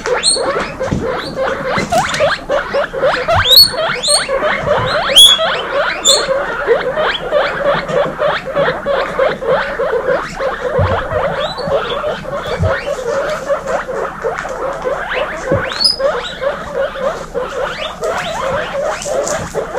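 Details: Chorus of baby guinea pigs from a 26-female group, loud wheeking: constant overlapping high squeaks with occasional sharper upward whistles above, steady busy texture with patter of movement.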